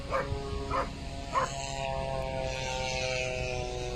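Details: Dog named Mailo od Moslavine barking in the blind; three sharp, harmonic barks about half a second apart open the recording, followed by a steady hiss and faint hum with no further barking.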